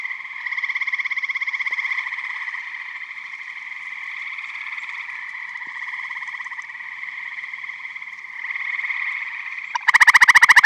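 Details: Eastern gray tree frogs at a Michigan vernal pond in spring or summer, a steady chorus of pulsed trills; near the end one frog close by bursts into a loud, coarse, rapidly pulsed trill.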